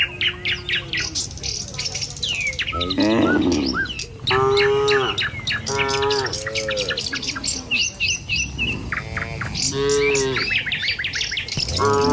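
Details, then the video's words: Dozens of tame cattle walking a village road to the pen in the morning. A sequence of moaning, harmonic moos from several animals, some short, some long, mixed with loud, fast bird chirps throughout. "Suara Sapi Moou Sepanjang Jalan Menuju Kandang"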